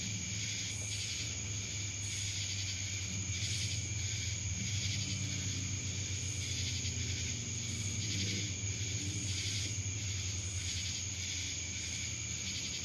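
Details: In Dallas, Georgia, cicadas keep up a harsh, shimmering drone with regular pulsing swells, while a low rumble like distant traffic runs beneath.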